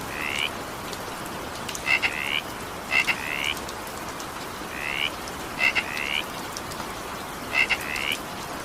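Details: In the evening rain a frog gives six short upward-sliding buzzy croaks, several paired with a sharp clicking double tap, at irregular gaps of one to two seconds, with rain pattering steadily beneath.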